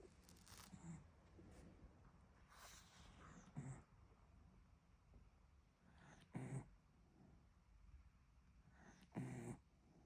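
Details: Miniature Dachshund snoring indoors, short low rumbling breaths every two to three seconds, with soft rustling and handling noises between them.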